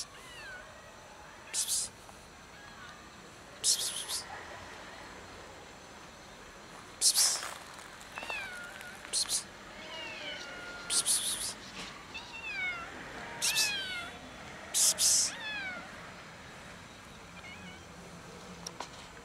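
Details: Cat meowing while hiding before being fed: a series of short rising-then-falling meows, often several in quick succession, with sharp broadband clicks or knocks every couple of seconds throughout.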